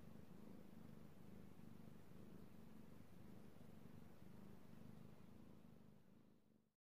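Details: Io, a male domestic cat, purrs under petting, recorded 3/16/18; a low, evenly pulsing purr in rapid regular beats, steady until it fades out at the very end.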